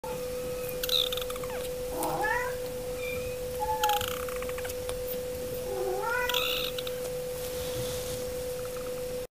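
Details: Domestic cat making repeated meows, short rising and falling tonal calls roughly every two seconds, over a steady continuous electronic tone and background hiss.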